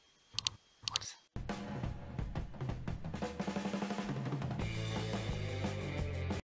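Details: Two brief knocks, then a driving drum-kit groove with bass and snare; no animal voice.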